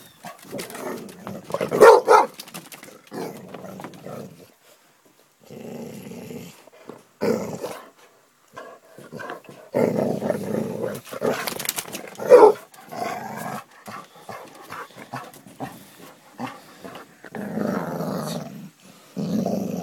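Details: Playing basset hound producing repeated loud barks and growling bursts, irregular in timing with brief pauses, some barks sharper and louder than others.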